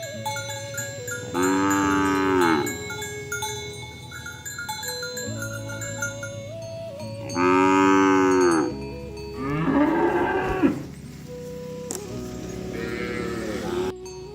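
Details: Oxen roaming a field, calling friends to return to the barn while a cowherd herds them toward a rice field. Three long, drawn-out moos with steady tones. Chiming music and cowbell-like notes play continuously in the background.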